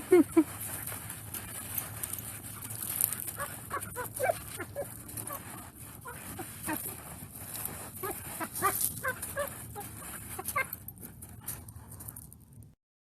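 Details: A Siberian Husky puppy digging at the beach makes odd, wild-sounding yips and chattering noises against steady outdoor hiss.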